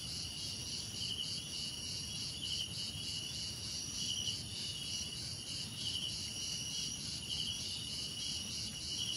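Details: Dense cricket chorus of high, rapidly pulsed trills, several callers overlapping evenly throughout, over faint low-pitched background rumble.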